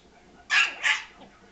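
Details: Yorkshire Terrier named Frankie, angry at a ball rolled into him, lets out two quick, sharp high-pitched barks in close succession, the second slightly softer, in a quiet indoor setting.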